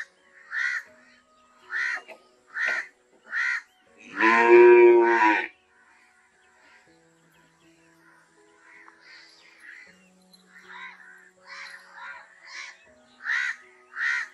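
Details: Single deep, drawn-out cow moo of about a second, set among repeated harsh crow caws before and after, the cawing growing fainter and more scattered later on.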